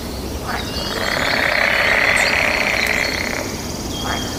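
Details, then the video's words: Frogs calling back and forth in mating season, a dense buzzing trill swelling and fading over a few seconds, with short bird chirps and whistles above it. "Suara Kodok bersahutan"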